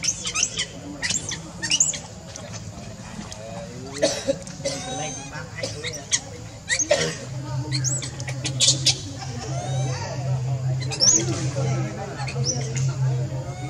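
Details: Baby monkey Leo, hungry and crying to beg its mother for milk: thin, high squealing cries that bend up and down in pitch, coming in repeated bursts, with sharp clicks and a steady low hum beneath.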